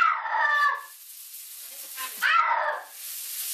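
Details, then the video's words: Domestic cat being bathed under the shower: two loud, wavering wails that slide downward, a short pause between them, with hissing running water and faint human voices in the background. "Cat Screams"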